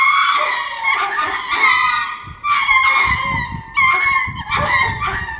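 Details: Ring-tailed lemur courtship vocalising, Hitachi Kamine Zoo, Japan: strained, harmonic yowls in three long bursts separated by short drops, with faint low thuds in the background.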